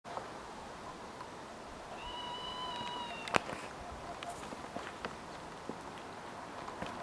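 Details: A red squirrel (Sciurus vulgaris), recorded 26 August 2023, gives a single drawn-out, nasal mewing whine, steady in pitch and tapering slightly.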